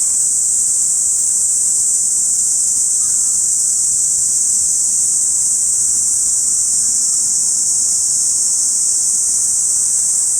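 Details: Summer chorus of cicadas in a park in Saitama City, Japan, recorded binaurally in August: a dense, unbroken high-pitched hiss-like drone holding steady throughout, with faint brief bird notes near the middle.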